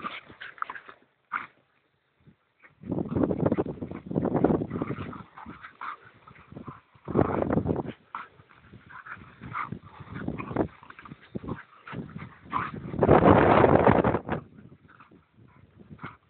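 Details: Two dogs, one an Irish Terrier, playing wildly together: rough growling and snarling bursts in bouts of about a second, with yips and breathy grunts between and short quiet gaps.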